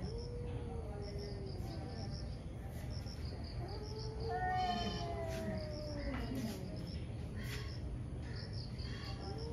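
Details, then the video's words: Two ferocious cats fighting in the morning: drawn-out, wavering yowls that rise and fall, with a louder rising wail near the middle, over a steady low rumble and rhythmic high chirps in the background. "Cat Fights cat | Angry Cat caught on camera | gato briga com gato"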